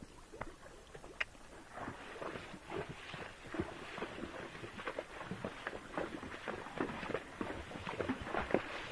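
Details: Irregular scuffing, rustling and tapping noises continue throughout, with no clear animal call.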